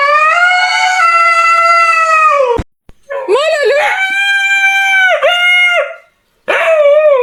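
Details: Dogs making strange noises, loud and nasal: a long steady howl-like wail, a brief break, then wavering yodelling cries with dips in pitch, then another wail starting at the end.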